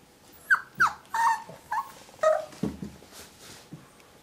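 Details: Muffin the whippet confronting the 'stranger' in a mirror indoors: a handful of short, high yips and whimpers with downward-sliding pitch, one longer whine, then a lower, huskier yelp and a faint final whimper.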